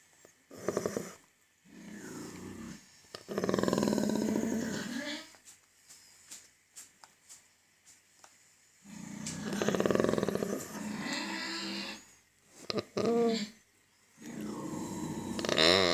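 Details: A pig having its teeth checked gives loud, harsh squeals and rough grunting bursts, broken by short quiet gaps.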